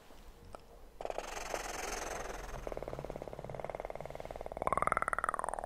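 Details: Kitten purring for an ASMR sleep recording: a quiet start, then a steady rapid pulsing rumble that grows louder, with a brief rising-then-falling mew-like tone near the end.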